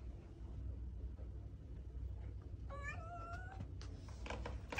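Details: ['One short domestic cat meow, slightly rising then level, arrives midway after a stretch of quiet low hum, followed by a few sharp clicks and knocks.']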